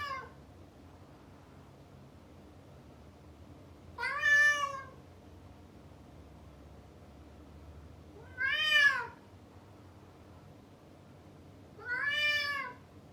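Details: Indoor male cat calling after being shut behind a door to stop him chasing a female: loud, harmonic meows rising then falling, roughly every four seconds, separated by quiet with a steady low background hum.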